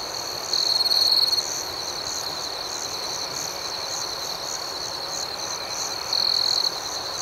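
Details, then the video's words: Crickets chirping at night outdoors: a steady high, shrill trill runs throughout, with a rhythmic pulsing layer above it, and two brief louder bursts near the start and end. "Soothing Cricket Sounds"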